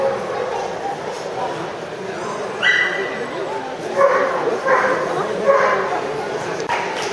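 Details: Azawakhs, including Best of Breed winner Goumsao and Gaéna, at the 2014 French Championship show in Angers. A sharp yelping bark is followed by several shorter barks, all set against continuous speech and crowd murmur.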